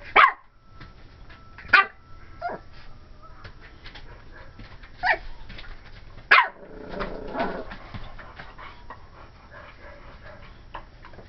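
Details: Cream and white Pomeranian puppy Ivory, a 12-week-old female, yaps at a Dora the Explorer doll: sharp high barks at the start, a few softer yips, then another loud bark and a brief whining murmur.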